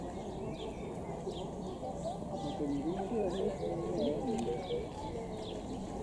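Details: Lar gibbon family, a monogamous, water-shy forest dweller living high in the tree canopy, gives wavering rising-and-falling hoots repeated in a quick series over steady background noise, with small bird chirps above.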